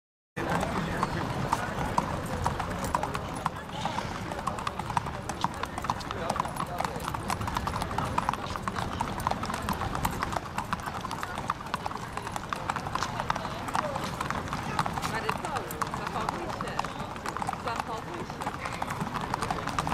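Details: Racehorses galloping in a field of about ten runners at a race on 31 May 2015; a dense, rapid drumming of hoofbeats fills the recording, overlaid by continuous excited race commentary over a loudspeaker.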